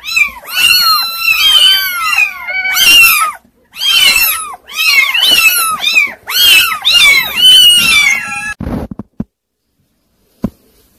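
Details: A group of unruly kittens crying in rapid, overlapping bursts of high, wavering meows for about eight seconds, then falling almost silent apart from a couple of soft clicks near the end.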